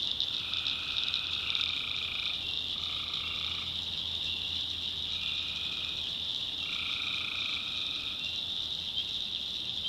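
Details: In a North Carolina backwoods swamp at night, tree frogs give a run of overlapping droning trills, one after another, layered over a continuous shrill background chorus.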